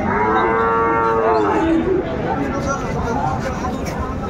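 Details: Sahiwal bull calves at a cattle market, bought by a farmer from Dhaka, 20 January 2025: a loud, drawn-out harmonic moo of about two seconds that slides downward at its end, then a steady din of market crowd noise.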